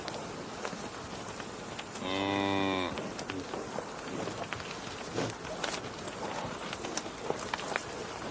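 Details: A single cow gives one steady, rich, harmonic moo lasting about a second, with low outdoor background noise before and after.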